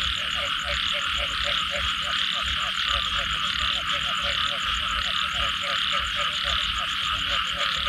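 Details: After rainfall, frogs croak in a continuous chorus: quick pulsed notes in steady rows, layered with a constant shrill high-pitched drone of other callers and a soft low rumble beneath.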